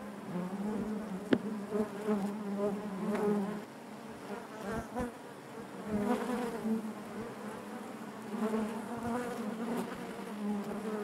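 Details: Inside a honey bee hive: continuous droning hum with layered overtones, occasional sharp clicks and short louder surges from bees moving near the microphone.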